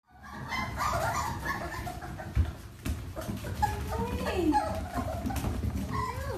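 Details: Miniature Dachshund dogs kept by a breeder, indoors in a small room; high, thin whining whimpers that slide up and down in curving tones over a low rumble of background noise.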